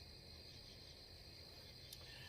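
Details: On a cooling night under the stars beside a cornfield, with wind blowing, a steady chorus of many crickets makes a continuous high, shimmering trill.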